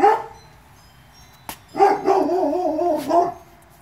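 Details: Presa Canario puppies from a litter born 2/10/2016. One sharp bark, then after a pause a drawn-out, wavering whine that rises and falls in pitch for about a second and a half, ending in a short yelp.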